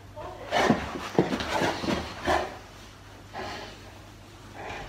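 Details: A big Boerboel named Molly play-fighting with her owner gives short snorting, huffing bursts about once a second, separated by heavy breathing. A woman's voice is briefly heard.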